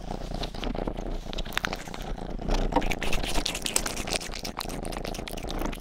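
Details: Rang-i, the youngest cat of the household, purring while grooming with ear licking: a steady low rumbling purr runs beneath frequent wet licking clicks and soft crinkling, recorded close up indoors in a small room.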